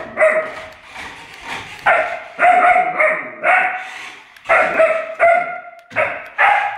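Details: Alaskan Malamute puppy near an electric car, giving loud, drawn-out yowling barks with a strong harmonic ring, about nine calls spaced irregularly over several seconds.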